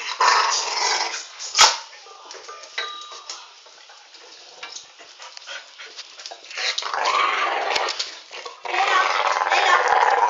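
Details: While Alfie schools the new pup, loud scratchy growling opens the scene, quieter choppy rumbles and snaps follow, and harsh growling returns strongly at the close.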